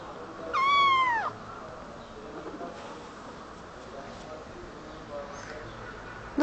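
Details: Kitten answering as its owner speaks to it in Turkish: a single clear meow under a second long, starting high and sliding downward in a curved arc, rich in harmonics. A quiet room with soft rustles follows.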